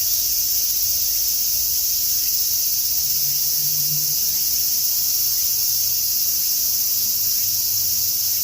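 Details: Many cicadas call on a summer afternoon in Tokyo as a typhoon approaches, an unbroken, shrill, hissing buzz like sizzling static that holds constant, with no pauses or rhythm.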